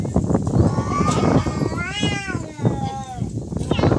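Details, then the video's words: Cats in a real fight: drawn-out, wavering yowls that rise and bend, several overlapping, with human voices and chatter running underneath. "Real cat fight |Fighting cats|"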